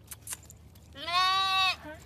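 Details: Baby lamb, a young sheep being greeted by a person, gives one clear wavering bleat lasting under a second with rich stacked harmonics, ending in a short soft follow-up note; brief human voice before and after.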